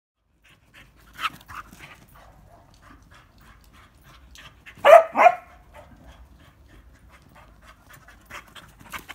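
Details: Ruby, a female English Springer Spaniel, during sit training: soft panting and sniffing, then one loud, sharp double bark midway, followed by quieter breathing.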